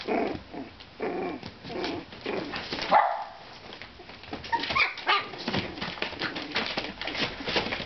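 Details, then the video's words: Playing purebred Miniature Schnauzer puppies aged four weeks, parti-coloured black and white: bursts of high yips and squeals over constant rustling and scuffling of small bodies. "Miniature Schnauzer Pups Playing"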